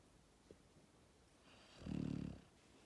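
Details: Max, a Labrador Retriever puppy born on 1 October 2019, snores in his sleep: after quiet breathing, a single low, buzzing, pulsed snore swells for about half a second, then fades.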